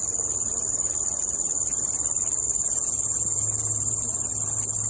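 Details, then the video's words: A single cricket in a nature park gives a steady, high-pitched trilling chirp that carries on without a break, then stops. "Cricket chirping, then stops"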